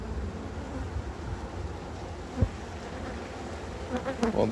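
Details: Honey bees at a hive during harvesting and expansion: a dense, steady buzzing hum of many bees fills the whole stretch, with a single sharp tap midway and a faint human voice near the end.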